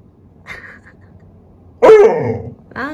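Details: Labrador Retriever puppy, pleading for its favourite ball stuck in a gap. It gives one short, tonal whine that falls in pitch, followed by a brief second cry, in a small room with a woman talking nearby.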